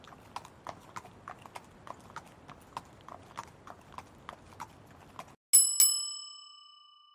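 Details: Horse trotting, hooves striking in a steady clip-clop about every quarter second for five seconds, followed by two sharp ringing bell-like dings that fade slowly.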